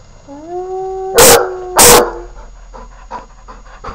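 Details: Young dog gives a short, slightly rising howl, then loud sharp knocks, followed by a series of soft, quick yips.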